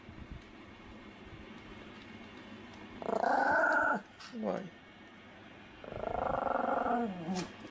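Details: Pomeranian duet barking: two drawn-out, harmonic, slightly falling calls about a second long each, separated by a brief huffing sound and a quiet gap, over a low steady background hum.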